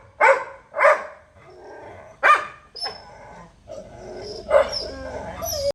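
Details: Barks from a pet Labrador Retriever at home: three loud gruff barks in the first seconds, then softer barks and a thin whining tone, ending with one more strong bark.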